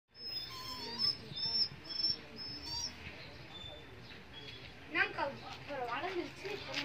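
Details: Rottweiler puppies in Coimbatore, India give high, thin whines and squeaks, with soft voices talking in the background.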